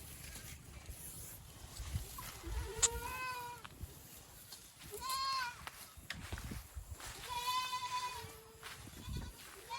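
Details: Boer goat at a village farm in Nepal breeding local goats with Boer; three separate bleats, each short and tremulous, come roughly every two to three seconds amid low background murmur and rustle.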